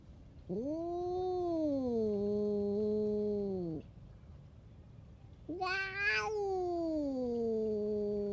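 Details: Stray bully cat lashing out at other cats with low moaning growl-yowls: a long three-second wail rising then falling, a pause, then a harsher outburst that breaks into a descending drawn-out moan.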